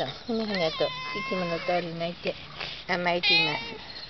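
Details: Mike the cat, visiting again after a long while, pleads sweetly for its caretaker not to go out: a run of clear, repeated mid-pitched meows, some rising then falling, with brief pauses between calls.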